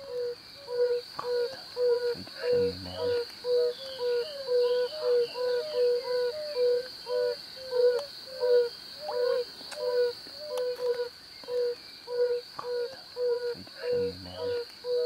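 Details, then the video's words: Several male yellow-bellied toads calling from temporary breeding pools to draw in females: many soft, low hooting 'ouh' notes overlapping in a dense chorus, with a couple of brief low thuds and a steady high whine behind. "Bombina variegata - calling & fight"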